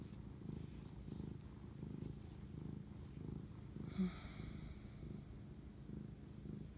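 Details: Domestic cat purring at 11:07 pm on March 25, 2019 while bonding with its owner; soft low rhythmic purr with gentle breath-linked pulses, one brief click midway, otherwise quiet room.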